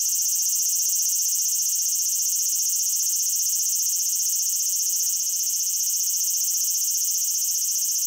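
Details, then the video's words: Cicada singing in Japan: a dense, steady high-pitched pulsing drone, very fast regular pulses all through with no pauses, loud and unbroken, nothing else audible. "Cicada Sounds and Cicada Songs with My Cicada-Photos"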